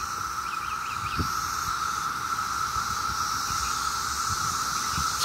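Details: In Maryland on a summer day, 17-year cicadas in mass numbers keep up an unbroken, even whining drone topped by a thin hiss, while a bird gives a quick run of short chirps and traffic murmurs beneath.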